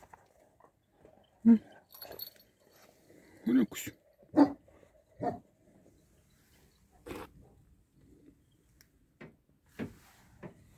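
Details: Kangal sheepdogs guarding a flock in Dinek village near Sivrihisar, Eskişehir: scattered deep barks, irregular and spaced a second or more apart, mixed with people talking and faint clinking sounds.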